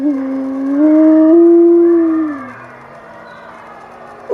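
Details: Howling wolf: a single long, smooth howl holding steady, then rising slightly and sliding down at the end over about two and a half seconds, followed by a quieter, lower tail; clean background.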